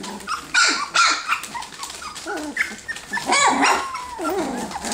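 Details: Three-week-old F1B Standard Goldendoodle puppies from a litter of ten, play fighting; short squeaky yaps and rising whines alternate with small growly grumbles, a sharp yip near the start and a longer wavering cry toward the end.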